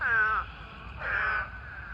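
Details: Eastern spadefoot toad gives two nasal, moaning calls, each a slightly falling harsh 'waaah' about half a second long, during the mating season at a pond swarming with thousands of toads.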